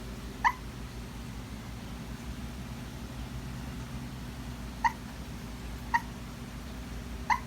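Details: Puppy barking in its sleep while dreaming: four short, soft, high yips, one near the start and three close together toward the end, over a low steady hum of room noise.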